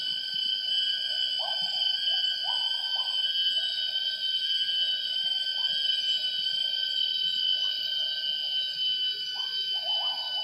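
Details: Wild gibbons singing at 07:58 in the morning in primary rainforest at Semenggoh Nature Reserve near Kuching, Borneo: short rising hooted notes repeat irregularly, some in quick pairs, over a dense steady drone of high-pitched insects.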